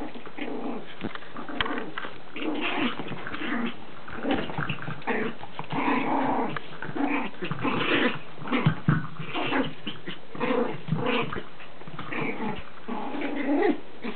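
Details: During playtime with toys, Chihuahua puppy Lacey keeps up a near-continuous rough growling, rising and falling in loudness, mixed with scuffling and clicks of toys indoors.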